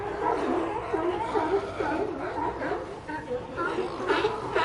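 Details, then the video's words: Sea lions give gruff barks and groans over a busy background of other calling animals, with a few sharper, higher barks near the end. "Sea Lions Sound Effect"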